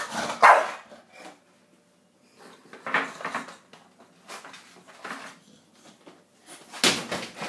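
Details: Bulldog begging for cheesy garlic bread indoors: a few scattered, gruff, breathy barks separated by short quiet gaps, one strong bark at the start and another near the end.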